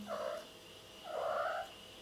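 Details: Indoors, Mr. Cat answers a person's questions about playing with two soft, warbling, mid-pitched vocalisations: a brief one first, then a longer rolling call half a second later, over a low constant hum.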